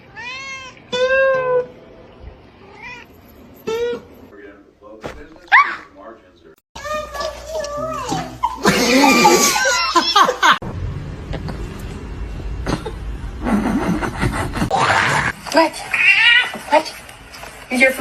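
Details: Pet cat giving a rapid series of short, bright meows, each bending up then down, for several seconds before people's chatter, laughter and household clatter take over.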